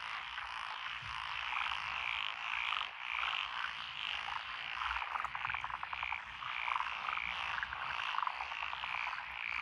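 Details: Mixed frogs, among them black-spotted pond frogs and forest green tree frogs, calling from lotus paddies along a country road in Echizen, Fukui, 12 June 2021: steady chattering croaks, repeated short notes standing out over a dense chorus.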